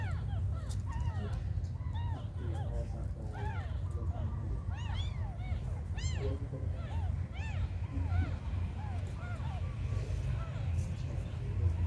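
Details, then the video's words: Tiny abandoned kittens mewing over and over, short high arched cries overlapping one another at an uneven pace, with a steady low rumble underneath. "The smallest abandoned kittens on the world"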